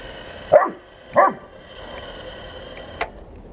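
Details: Bernese Mountain Dog named Buddy confronting a 1:16 scale remote-control toy tank, giving two sharp barks about half a second apart, then a faint click, over a steady mechanical whine.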